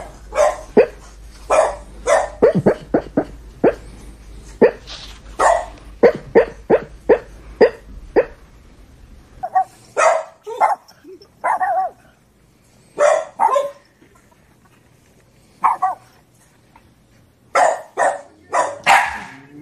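A Boston Terrier barks in sharp, rapid bursts, some clustered, others spaced by brief pauses.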